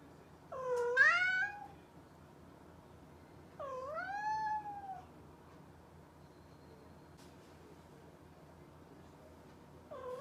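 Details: Mischievous domestic cat giving two long, drawn-out meows about three seconds apart, each bending upward then sliding down, with the start of a third cut off at the end; quiet room otherwise.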